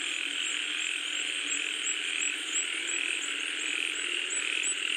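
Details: Many frogs croaking while rain comes down, a steady throbbing chorus with a faint, regularly repeated high ticking note laid over it about twice a second.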